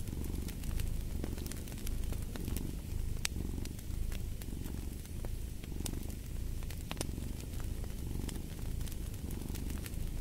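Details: Cat purr, deep and continuous, pulsing in slow breath cycles about once per second, mixed with frequent snapping crackles from a fireplace.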